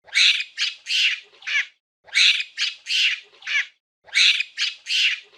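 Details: Harsh, raspy monkey screams arrive in tight sets of four, each set repeating roughly every two seconds with a brief pause between, three sets in all, against a silent background.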